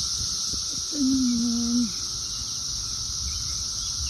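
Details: Many Brood XIII periodical cicadas, light and dark coloured, on trees and plants in 2024, keeping up an even, unbroken buzzing drone. One brief low voiced tone sounds near the start and slides down at its end.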